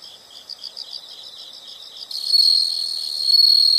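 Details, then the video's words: Insects in a nature recording: a pulsed high chirping for two seconds, then a louder sustained shrill trill takes over. "the sound of insects"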